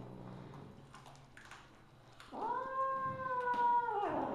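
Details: Misu, a Siamese mother cat (Wichienmaat), recorded at 8:18 PM on 2/1/2015, lets out a single long, steady, nasal meow lasting about two seconds after a quiet stretch with soft rustling.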